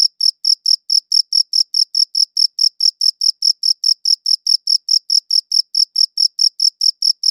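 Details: Chirping crickets repeat sharp, high-pitched pulses at a quick, steady pace of about four per second, clear and uninterrupted over silence.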